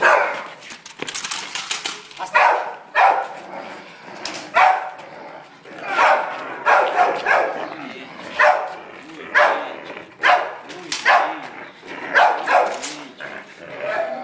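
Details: Tosa Inu barking during protection training: loud, harsh barks in short bursts and doubled volleys, roughly twenty over fourteen seconds, with brief pauses between bouts.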